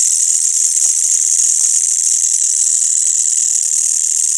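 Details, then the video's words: Crickets and green grasshoppers calling together at night in a village after sunset, a dense, steady high-pitched hiss-like trill that runs unbroken through the whole stretch, with no other sounds standing out. "Suara Jangkrik dan Belalang pada malam hari di desa"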